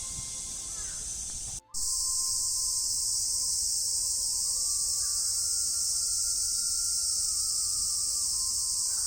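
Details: Japanese cicadas in summer in Japan, males calling from trees during the mating season. A dense, steady, high-pitched buzzing drone runs unbroken after a brief silence near the start, with a faint tonal hum beneath.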